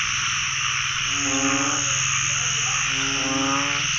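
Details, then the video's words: Narrow-mouthed frogs crowding a pond at the year's first catch: two deep, drawn-out droning calls, each under a second, stand out over a constant high chorus and a low pulsing hum. "จับอึ่งครั้งแรกของปี ร้องเต็มสระเลย"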